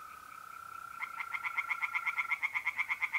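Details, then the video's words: A pond at night in mid-April, north-east Italy. A mole cricket's smooth, continuous trill comes first, then tree frogs join with a steadily repeated series of sharp, pulsed croaks that grow louder and keep a brisk, even rhythm. "relaxing singing tree frogs in pond and trilling mole crickets by night"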